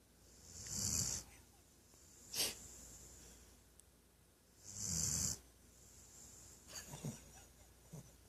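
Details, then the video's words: A female Weimaraner snores loudly during a nap: broad raspy breaths recur every few seconds, mixed with a brief sharp snort and some softer snuffling sounds. "My Weimaraner snoring like an old man"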